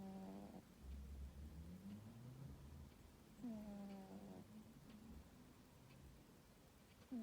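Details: Tomcat snoring while asleep in a high-tower cosy bed on a summer afternoon; soft low rasping breaths with a few brief higher harmonic tones that rise and fall, quiet indoor background.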